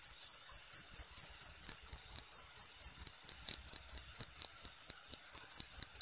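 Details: Cricket calling loudly in a natural recording meant for bird therapy. Sharp, high-pitched chirps follow one another at a quick, even pace of nearly four per second through the whole stretch, on a quiet background.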